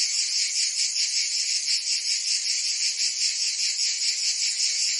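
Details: Short burst of a summer cicada chorus from Provence, France: intense high buzzing, pulsing roughly two to three times per second, even and uninterrupted.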